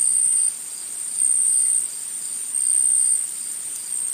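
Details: Brief stretch of forest insect chorus: a piercing high buzz-trill, continuous, dipping quieter twice and surging back, with faint ticking above it.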